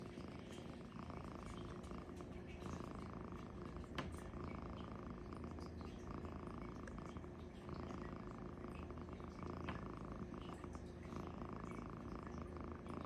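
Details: Luci-furr, a sleeping cat, snoring loudly indoors: a steady low rumble whose brighter middle band swells and fades in slow breathing cycles about every two seconds, with faint soft ticks above and no other clear sounds.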